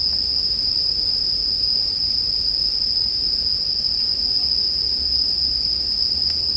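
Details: Bell crickets in a sleep-music mix paired with campfire sound. A steady, unbroken high ringing tone holds level throughout, with soft low rumbling noise beneath and a few faint ticks.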